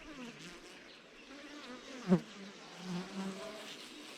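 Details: Honey bees around traditional beehives in the African bush, where wild honey is harvested. A low, wavering hum rises and fades as bees fly past, with a sharp knock midway and soft rustling behind.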